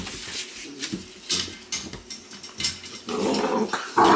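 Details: A litter of Weimaraner pups bred from Indigo and Magnum: short scuffling grunts and little growls, then a rougher, louder outburst ending in a thin rising whine.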